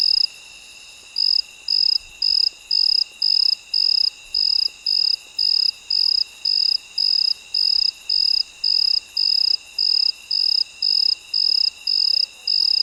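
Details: Cricket chirping at midnight in a night-time nature recording: steady high-pitched pulses repeated nearly twice per second, each a short buzzy burst, over a faint constant background hum of other insects.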